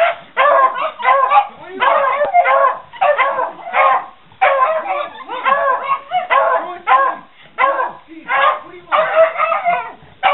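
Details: Beagle with Puggles answering the question "Who wants cheese?": excited, harsh barks and yips in uneven bursts, about one and a half per second, with the dogs' voices overlapping throughout.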